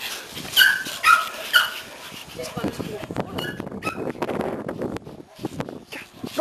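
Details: Toy Pomeranians happily welcome their owner back after a vacation. Three sharp, high yips come in quick succession, followed by rustling, shuffling noise and faint voices.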